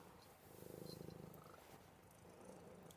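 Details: Buddy the pet cat, a cuddle bug, purrs faintly with a low pulsing rumble that swells in the middle and trails off under quiet room noise.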